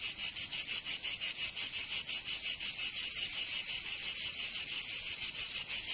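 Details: Provençal cicadas in southern France on a summer day, producing a loud rasping drone broken into fast rhythmic pulses, about three each second, holding steady to the end.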